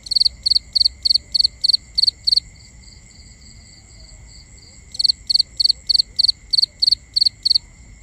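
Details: Crickets at night in a binaural nighttime recording: loud bursts of sharp high chirps, about eight pulses in quick succession, pausing for over two seconds before the next run, with a steady faint high trill beneath.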